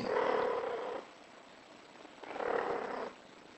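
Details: British Shorthair cat in heat calling; two drawn-out, steady, tonal meows of about a second each, separated by a short pause, in a quiet room.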